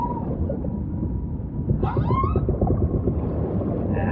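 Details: Humpback whale song: a short, rising whistled moan with bright overtones sweeps upward, then a faint higher tone follows, all above a constant deep underwater rumble.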